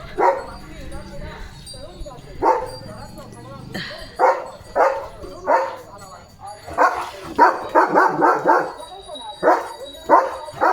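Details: Leo the German Shepherd barks on alert duty after his bath. Scattered rough barks over ten seconds are mixed with human voices, with a quicker run of barks near the end.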